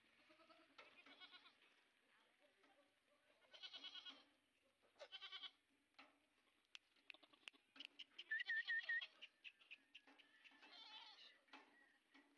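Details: Sojat bucks from a farm herd of 130 in Indave, Dhule district, held for Eid, give scattered quavering bleats at moderate distance. Sharp clicks and a short run of high whistled chirps are also heard.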